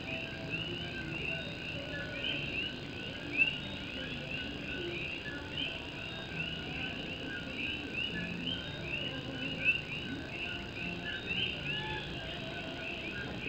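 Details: Night chorus of Puerto Rican coqui frogs in Morovis, Puerto Rico, during rain: many quick upward-sweeping chirps overlap continuously, with a few louder nearby notes standing out, all above steady rain on an old tin roof.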